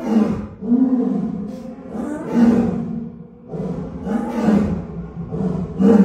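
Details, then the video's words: Lion at Shoushan Zoo in Kaohsiung roaring at dusk as it does every evening; deep, strained roars repeat roughly every second or two, swelling and fading in long grunting pulses with no other clear sounds. "有沒有聽過獅子叫！ 高雄壽山動物園"立體音效環繞"傍晚準時開吼"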